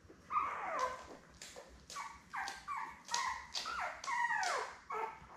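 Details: Litter of seven Labrador Retriever puppies born May 24, 2021, with mother Belle, on a June 3 live puppy cam. Sharp, whiny squeals that slide downward in pitch repeat about twice a second, clear and close.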